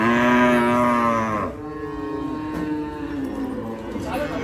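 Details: Cattle unloaded from a truck at the Hazratpur market in Bangladesh; a loud, rich moo for about a second and a half, then a quieter drawn-out lowing, over a murmur of people.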